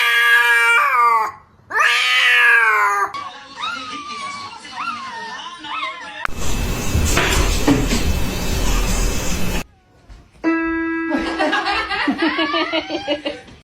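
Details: Cats meowing in a funny pet clip: several drawn-out, wavering meows rising and falling in pitch, a harsh noisy burst midway, then a run of strained, stepped meows, with background music and laughter.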